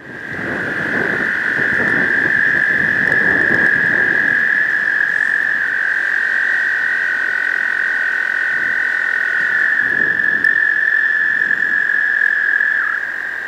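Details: Male American toads gathered in a spring breeding pond, singing to attract females: a loud, steady, high musical trill held without a break, with low splashing or handling noises in the first seconds.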